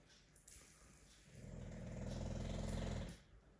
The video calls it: My English Bulldog Snoring Loudly